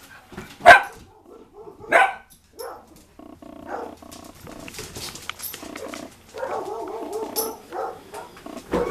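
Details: Two-year-old male Cavalier Spaniel/Dachshund mix at play gives two sharp barks, then softer harmonic growling and whining sounds, with a person talking nearby.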